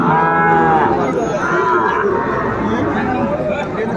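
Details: Lowing of Sahiwal cattle at the Ambari market, Netrokona, Bangladesh, 8 November 2024, with farmers buying bulls; a short harmonic moo at the start fades into constant market crowd noise.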